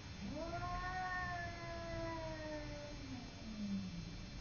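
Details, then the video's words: Simba, a cat, fighting with a neighbour cat: a sustained, rich, moaning yowl that rises, holds steady, then sags and ends in a lower, drawn-out growl. "Simba fighting with neighbour cat"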